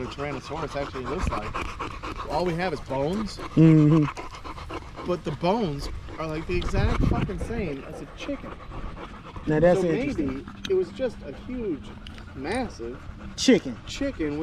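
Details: Male dogs, Staffordshire Bull Terriers, in an evening 'wolf pack chat' at the park, trading wavering whiny yowls that rise and fall, with heavy panting and low rumbling underneath.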